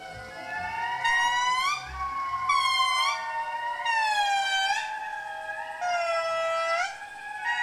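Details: A small Indri family group gathers in the morning forest to give loud, wailing, siren-like territorial calls, long sliding notes rising and falling in overlapping, synchronized bursts, audible over 2 km away, warning other Indri to keep their distance.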